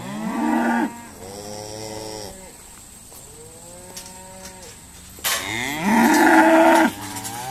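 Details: Irish Dexter cows being sorted at Stone Meadow Farm on a noisy day: several drawn-out, harmonic moos of varied pitch, one long and deep, ending in a loud, rough bellow with a sharp noisy clatter at its start.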